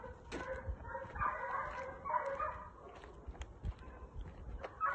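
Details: Two Segugio Italiano hounds training on hare bay in wavering, resonant bursts, the voices blending into a continuous cry over the first two seconds and then thinning into scattered short bays among faint knocks.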